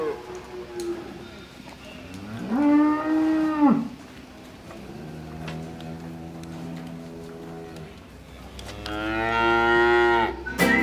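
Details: Several cows lowing on a farm during a group visit; three long, deep moos, the first and last rising then falling, the middle one lower and steadier, with faint background chatter.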